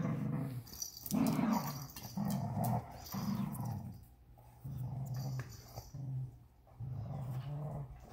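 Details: Tug of war with a unicorn toy: a Vizsla puppy on day 61 growls in a string of gruff, pulsing bursts, loud early on, then lower and more broken rumbles with brief gaps, inside a small room.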